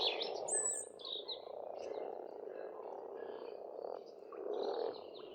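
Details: Pond frogs in spring in Estonia, near a rural farmstead, keep up an unbroken low rumbling croak chorus that swells toward the end, with scattered thin bird chirps and whistles higher up.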